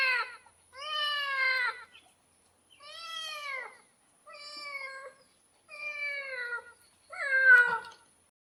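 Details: Six clear, drawn-out meows from a domestic cat, each bending up then down in pitch and separated by short silences. The final call is sharper and more strained, with a faint steady hiss throughout.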